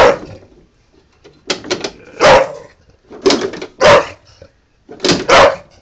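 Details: Bulldog named Honey barking in anger at a lawnmower, a string of harsh, broadband barks, some doubled in quick pairs, coming irregularly about every second, with brief quiet gaps between bursts.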